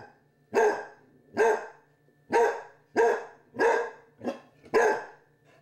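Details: Basset hound puppy, joined by a Chihuahua, confronting a Halloween candy dish; seven sharp, forceful barks in a steady series roughly every half to one second over a soft constant hum.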